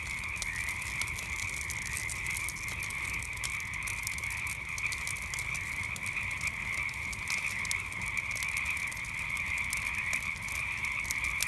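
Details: Many frogs croaking at night in an unbroken high-pitched chorus, steady and even throughout, while a campfire crackles with irregular sharp snaps across the whole stretch.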